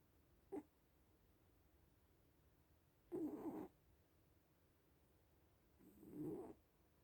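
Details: Little cats asleep: a short soft snort, then two hoarse, low snoring breaths about three seconds apart, the last one swelling and fading more gently, with quiet between them.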